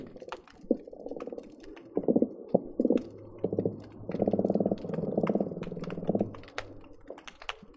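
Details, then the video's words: Croakers underwater at the Marina Drive bridge between Long Beach and Seal Beach on an especially busy day, recorded by hydrophone: bursts of low rapid pulsing knocks, a steady low hum beneath, and scattered sharp clicks and pops. "Underwater fish sounds recorded with hydrophones - Seal Beach croaker sounds"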